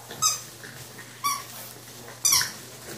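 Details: Eight-week-old French Bulldog puppies indoors giving three short, sharp high squeaks, each about one second apart, with a steady low hum underneath.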